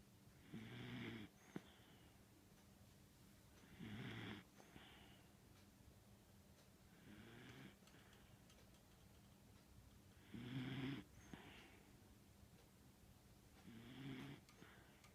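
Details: Pet dog indoors snoring loudly, like an old man's snore; deep rumbling snores with harsh rasping breaths come every three seconds or so, five bursts in all, in a quiet small room.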